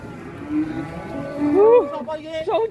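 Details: Angry cattle unloading from a truck, rampaging until a horn comes off: a short drawn-out tonal moo rising then falling, with wavering voiced calls near the end over a low background murmur.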